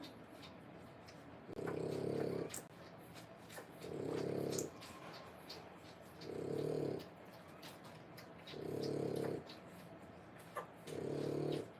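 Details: Whelping-age French Bulldog puppies, three weeks old: five steady, gravelly snoring breaths in a slow, even rhythm, one roughly every two seconds, with faint clicks and hiss between them.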